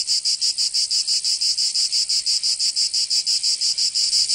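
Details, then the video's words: In Provence, southern France, cicadas sing on a summer day. Their shrill electric buzz beats in very even pulses, close to three a second, and the pulsing continues without pause. "Canto Cigarra 🦗 [ Escuchar les cigarras en verano 10 H]"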